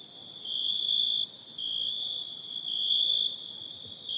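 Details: Forest insects at night producing an unbroken high, ringing trill with a thin sizzling layer above, the sound stepping louder and softer in a few abrupt shifts over these few seconds.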